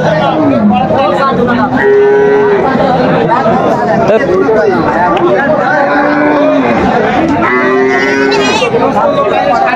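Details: Cows with calves for sale at Aftabganj market, Dinajpur, June 2025: short flat lowing notes recur through the clip beneath heavy chatter of buyers and sellers.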